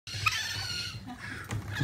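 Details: Orphaned young raccoons at a local sanctuary, hungry and excited just before feeding time, their mother having died; a high, harmonic, buzzy trill holds for about a second, then softer chirps follow over a low indoor hum.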